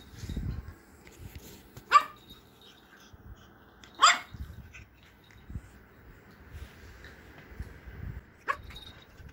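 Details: A female pug gives three short, sharp barks spaced a few seconds apart.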